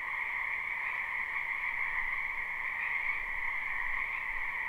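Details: Spring wetland frogs in a live, unlooped recording, their croaking merged into a continuous buzzing chorus with a lower and higher band and a faint low rumble beneath.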